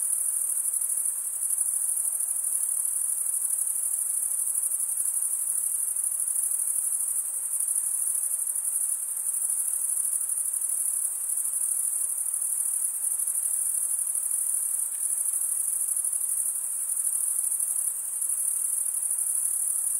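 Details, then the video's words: Crickets chirping, produced by males running one wing along the comb-like teeth of the other. There is a steady, shrill, high-pitched continuous buzzing trill with tiny dips in loudness and a soft hiss underneath. "Most relaxing cricket sound for 8 hours"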